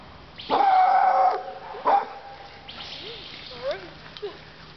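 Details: Mallie Mae, a female American Black and Tan Coonhound a little over one year old, described as fearless, feisty and loud, lets out a long drawn howling bark, then a shorter second one after hearing a dog across the way; a person calls her.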